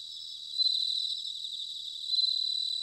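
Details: Bell crickets singing in autumn in Sanuki, Chiba Prefecture, Japan: a steady high ringing trill, with louder pulsed bursts swelling near the start and again about a second and a half later, set over a constant insect hum.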